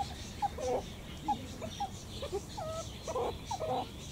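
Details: Meerkats giving quick thin peeps and a few longer wavering, falling whistles, irregularly spaced, against faint low background noise.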